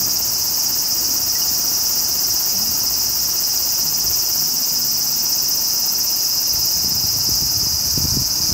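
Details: Large brown cicada of Japan singing a relentless high hiss that never pauses, evenly loud across the clip, with a few soft low knocks just before the end.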